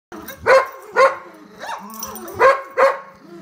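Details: Poodle barking during a game of tug of war: five sharp, loud barks in two pairs and a single, roughly half a second apart, with softer rustling between them.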